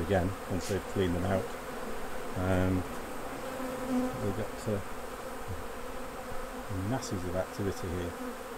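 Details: Honey bees at the hives during a honey harvest, as the honey is taken off. Loud buzzy harmonic bursts swell and fade as bees fly close past, over a steady low hum of the colony.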